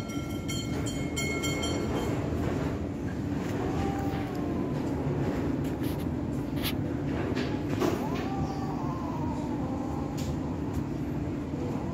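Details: A train rumbles and clatters along the rails with steady low mechanical noise. No animal voice can be made out.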